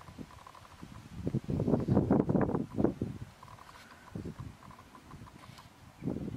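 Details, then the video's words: Red deer in the October 2015 rut at Tatton Park, filmed with a Canon 70d and Sigma 150-600mm lens at 600mm; a deep, rough, pulsing groan swells for about a second and a half, followed by softer low grunts and a brief final rumble. "Red Deer Rut Tatton Park October 2015"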